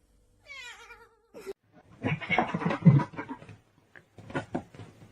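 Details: Domestic cat, one of the funny cats in a compilation, gives a single short descending meow near the start, followed by muffled thumps, rustling and indistinct noise indoors.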